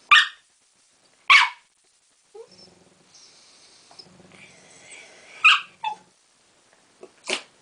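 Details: Westie named Winnie barking in frustration because her sister Polly, a Tibetan Terrier, has taken her ball; sharp loud barks spaced a second or more apart, with soft whimpers and shuffling between them.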